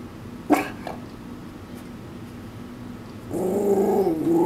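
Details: Shih Tzu Maltese mix warbling in protest at something outside the backyard: two brief sharp yips near the start, a quiet stretch, then a sustained wavering groan-like warble for the final second.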